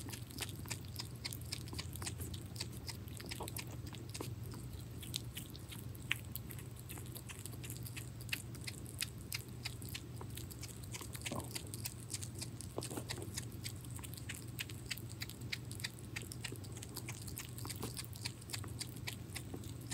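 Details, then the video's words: Hedgehog named Pirozhok eating minced meat indoors, a steady run of rapid wet chewing and biting clicks through the whole stretch, with a low constant hum underneath and a few louder smacks. "Ёж кушает фарш"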